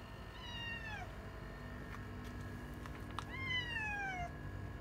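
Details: Retired boss cat Yongo, also called Kuro, once ruler of a residential neighbourhood and now in end-of-life care indoors, gives two drawn-out descending meows about a second apart, with faint clicks and a low hum behind.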